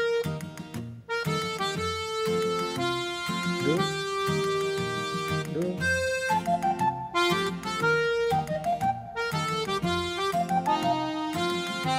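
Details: Indoor scene with a rescued black-and-white cat resting on a person's feet, covered by accordion-like instrumental music with sustained melodic notes and faint speech, no animal voice heard.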